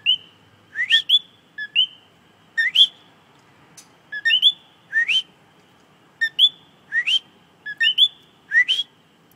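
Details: A common coqui singing close in front of the recorder gives its clear two-note whistle, a flat note followed by a sharply rising one.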